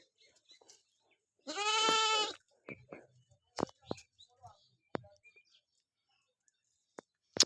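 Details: Goat being washed before shampooing gives one loud, quavering bleat of nearly a second, followed by scattered clicks, thumps and water handling noises.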